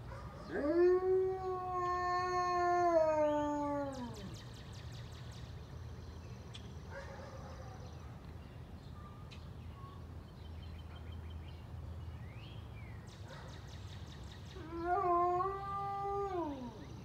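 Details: Kane, a very high-content wolfdog, howls in response to the monthly siren test held every first Monday. One long, steady, slightly wavering howl of about three and a half seconds drops at its end. Birds chirp during the pause before a second, shorter, falling howl.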